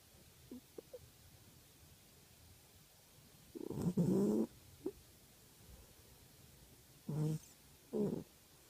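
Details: Domestic cat snoring through an afternoon sleep, heard as a few soft, low breathy snores, one longer rasping snore near the middle and two short snorts toward the end, over a quiet room background.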